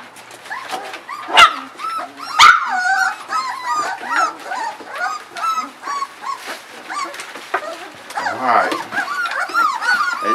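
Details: A litter of puppies about 3.7 weeks old whining at evening feeding time, many overlapping high, arched squeals and whimpers rising and falling, with a man's voice calling them to eat.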